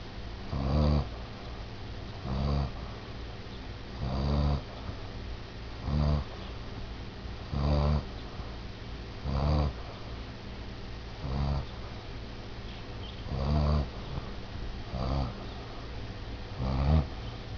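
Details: Pet Basset Hound napping at home at midday, snoring in low, rasping breaths repeated about every two seconds, each a short, throaty burst with quiet pauses between, over steady low background hum.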